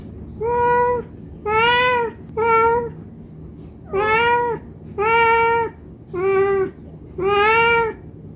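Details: Indoor domestic cat begging for food out of hunger, giving seven loud, evenly pitched meows spaced about a second apart, each a full, harmonic cry with a slight upward bend at onset.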